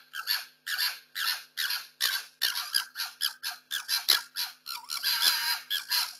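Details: Two foxes fighting over food and territory on a street during lockdown, caught on security cameras: harsh, raspy screeching bursts about half a second long, repeated almost without pause, high and noisy.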